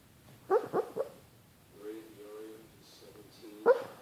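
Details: Boston Terrier dreaming in its sleep, giving short yelping whimpers in a quick burst of three, then soft muffled whining moans and a final sharp yip; quiet room otherwise.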